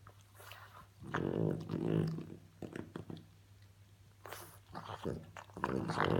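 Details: Female French Bulldog indoors making funny noises: low grumbling growls and snorting grunts in irregular bursts, separated by short pauses, over a steady electrical hum.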